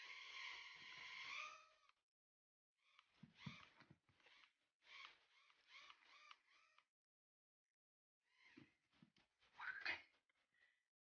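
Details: Shih Tzu puppy Louis at play with a toy helicopter: opens with a long, slightly rising whine, then strings of quick squeaky yaps in three bursts separated by short silences.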